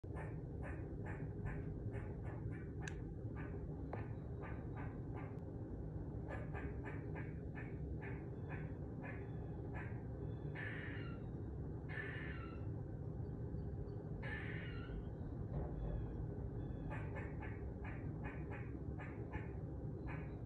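A squirrel gives rapid runs of sharp chucking notes, broken by a few longer raspy, buzzing bursts.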